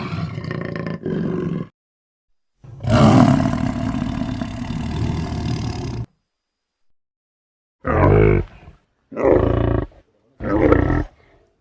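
Elephant seals give deep, guttural roars, some broken into rapid throbbing pulses, separated by short silences.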